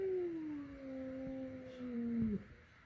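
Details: Indoors, a flat-nosed cat meets a peak-nosed cat for the first time: a single sustained low moaning yowl gliding gently downward for over two seconds, cut off with a short thump.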